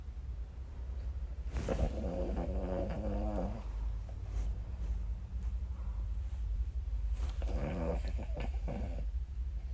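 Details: Boston Terrier snoring loudly, a low steady rumble with two longer nasal, buzzy snorts around two and eight seconds.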